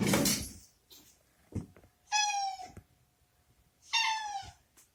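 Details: Pampered male pet cat, a former stray rescued as a kitten, meowing indoors in a washroom he dislikes, wanting to be let out; two loud, slightly unusual drawn meows about two seconds apart, with thumps and handling noises.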